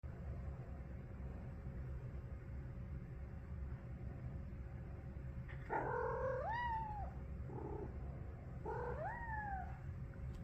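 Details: Big feral street cat on a couch, talking with a few short, soft chirping mews that rise and then fall, quiet against a steady low background hum.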